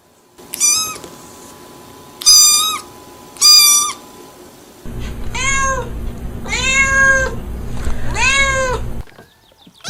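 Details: Cats meowing: three short high meows first, then three longer arched meows over a steady low rumbling background noise.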